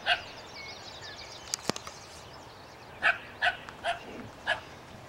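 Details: Dog barking at a skunk, giving five short barks with irregular spacing and a few sharp clicks early on.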